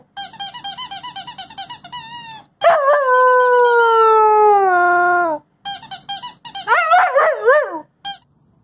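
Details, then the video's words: A wolfdog pup named Covington, between five weeks and four months of age, moves from rapid repeated yelps into a sustained falling howl of nearly three seconds, then ends with a wobbling, yodel-like warble. "Head Tilt, Howling, Talking, Sniffing and Playing."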